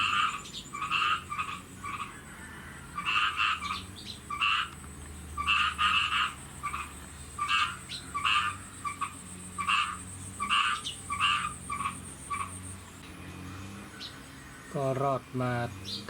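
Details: Chorus of farmed khiat mo frogs in Thailand before rain, giving short buzzy croaks in distinct bursts about once a second, separated by quieter gaps, a high thin whine behind, and a brief different rasping sound near the end.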